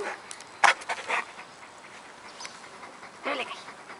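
A Rottweiler 'talks' in brief, tuneful grumbles and whines, each sliding up and down in pitch. The sounds come in a few separate bursts with quiet gaps between them.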